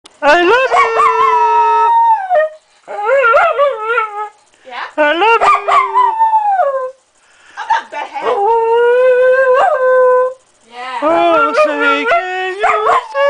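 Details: Small Jack Russell terrier howling along to people singing and making music indoors, a series of wavering, sliding howls a few seconds each, some rising then falling, separated by short breaks.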